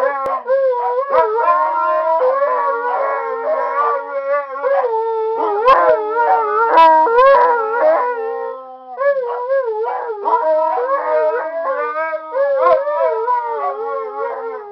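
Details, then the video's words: Pet Siberian Huskies singing in a duet, sustained wavering howls that rise and fall and overlap, broken by brief pauses and a few sharp yelps. "Kaiton and Taeya sing happy songs"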